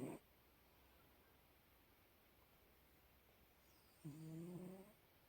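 A Bengal cat gives a single low, rasping snore, about a second long, against a quiet room.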